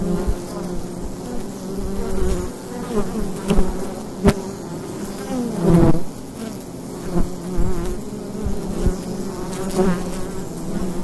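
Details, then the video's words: Many bees at the entrance of a wild beehive in the daytime in autumn make a dense, steady hum, with individual buzzes swelling and fading as insects fly close. "Wild Bee Hive in the Daytime - ambient sound and mushrooms"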